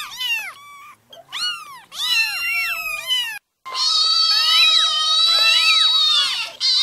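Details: Newborn kittens crying: bursts of shrill, harmonic meows, rapid and overlapping, then a long sustained wail with many wavering cries layered over it after a short silence.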